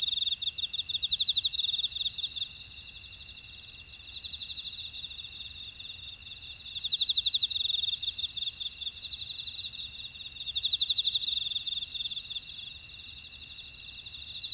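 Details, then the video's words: Chorus of field insects in a buckwheat field in Oradong, Jeju, South Korea; several high, continuous ringing drones overlaid by quick, repeated pulsed chirp trains that swell and fade in short bursts. "제주 메밀밭의 풀벌레 소리"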